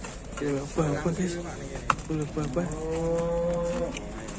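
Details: Aggressive cattle arriving by truck in Indonesia and being unloaded, a few short broken moos then one long level bellow lasting about a second and a half, over steady engine noise and some clatter.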